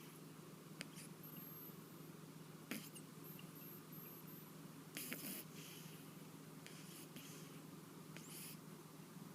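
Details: Sleeping pet cat with a lingering cold, snoring indoors: soft, raspy, breathy bursts recur every two seconds or so over a steady low hum in a quiet room.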